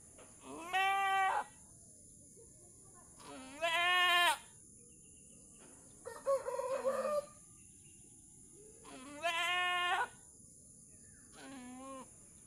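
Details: Mother goat struggling to deliver her kid, helped by a person pulling it out; loud harmonic bleats about a second long repeat every two to three seconds, with a short rooster-like call in between against a steady high hiss.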